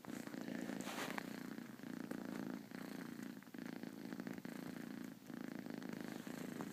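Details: Half-asleep four-month-old female kitten giving a continuous low, throaty purr with a rhythmic pulsing rumble, occasional soft dips in loudness and slight background rustle.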